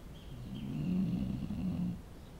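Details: A dog snores with a single long, low, vibrating rumble that swells and fades over about a second and a half, with faint high chirping in the background.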